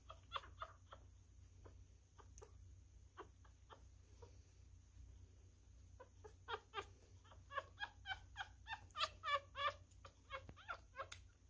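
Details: Hand-fed newborn male miniature schnauzer, messy while eating: scattered wet clicks and a couple of squeals early, then a fast run of rhythmic, pulsing squeaks roughly three per second toward the end.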